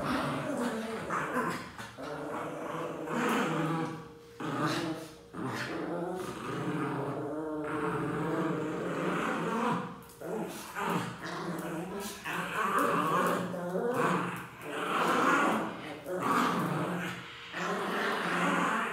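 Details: Pinscher dogs kept as house pets give a long run of throaty growls broken by sharp yapping barks. Loudness swells and dips every few seconds, with short pauses. Some human speech is heard in the room.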